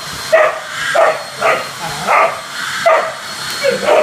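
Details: Whippet during vacuuming makes a series of about seven short, moaning yelps, each rising then falling, repeating roughly every half second in a bouncy rhythm, with no other clear sounds.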